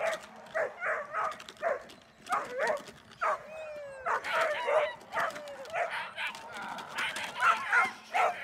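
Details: Protection training with German Shepherd Dornan: bursts of barking mixed with higher tonal sounds and background activity. Barks come in uneven clusters through the whole stretch.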